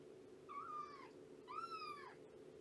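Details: Two drawn-out, arched meows from Shelby, a roughly two-year-old rescued mother cat at Purrfect Pals, during a morning visit, the second longer and stronger, over a constant background hum.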